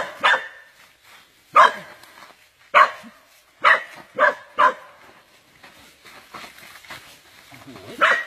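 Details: Dog under attack by an anaconda: a string of short, harsh barks, roughly one per second at first and then quicker, with excited human voices between them.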